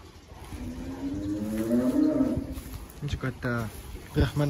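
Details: Sacrificial cattle in a farm pen in Nganjuk holding about 300 head: one long, low moo swelling and rising over about two seconds, then short calls and human voices nearby.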